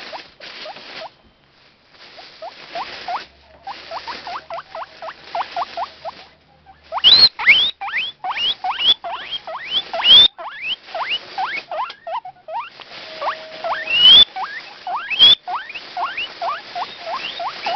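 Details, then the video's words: Guinea pig Taemin, with two other pet guinea pigs excited too, wheeking loudly every morning for food; rapid runs of sharply rising whistle-like squeaks, some very loud, with bag rustles between. "Whistling / Wheeking Guinea pig"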